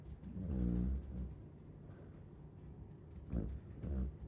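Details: Chow Chow dog snoring while asleep: two low, rumbling, harmonic snores, each under a second long, separated by a quiet pause of about two seconds.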